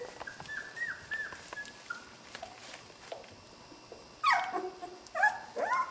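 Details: Skar's puppies playing and wrestling together, giving short high whines and yips, scattered at first, then a louder burst of sliding yelps near the end.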